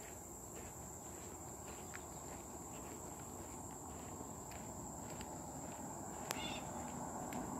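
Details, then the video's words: Cicada drone recorded July 18, 2023: a constant piercing high tone runs throughout while footsteps and crunchy rustles sound nearby, including one sharp snap near the end. "July 18th 2023 cicadas"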